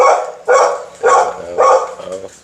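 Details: Pit bull dog being teased, barking four times in steady succession, each bark loud and rough, roughly every half second, with no other clear sounds.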